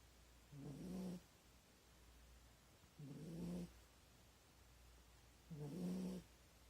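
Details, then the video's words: Corgi asleep in an awkward position, snoring heavily: three low, rasping breaths roughly two and a half seconds apart, each rumbling for about half a second under a steady low hum. "【corgi コーギー】カイト君この寝方良くないみたい。ものすごいいびきをかく"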